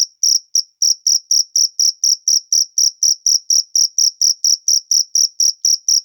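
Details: Wild cricket chirping in rapid, regular high-pitched pulses, roughly four per second, bright and metallic, continuing without pause over a quiet background.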